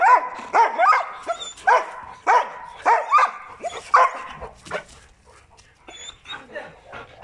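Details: Protection dogs, a Presa Canario and a Malinois, barking in bursts of loud harmonic barks roughly every half second for about four seconds, then trailing into softer, scattered yelps and whines; a brief spoken command comes before.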